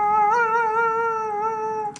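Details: Gray wolf (Canis lupus), howl.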